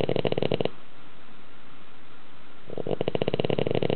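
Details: Loud snoring from a sleeping dog indoors, described as rivalling a man's snore; one rattling breath ends, a quiet pause follows, then another buzzy, pulsing snore begins.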